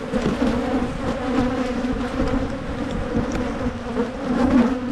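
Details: Swarming-season honey bee colony in Michigan being split by a beekeeper. A thick, low droning buzz grows louder near the end, with small clicks from hive work.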